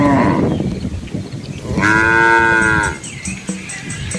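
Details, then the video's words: Dozens of Asian village cows with calves follow a quiet countryside road lined with rice fields. After a muddled start comes one clear, level moo of about a second, with rich overtones, then quieter shuffling and faint ticking. "Cow Sounds"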